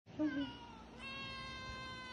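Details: Domestic cat meowing at feeding time among stray cats and kittens fed at home: a short, lower, wavering meow, then a long, steady, strongly harmonic meow that holds to the end.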